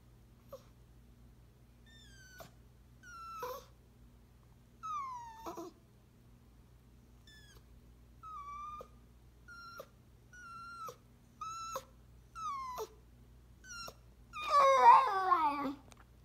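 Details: Eighteen-year-old Chihuahua–Dachshund mix whining while missing her favorite person; a series of high, downward-sliding whines about once a second, ending in a louder, wavering howl, with steady low hum underneath.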